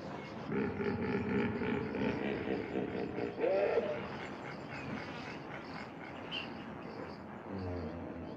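A hippopotamus gives deep, rough grunting honks over a noisy, rumbling background.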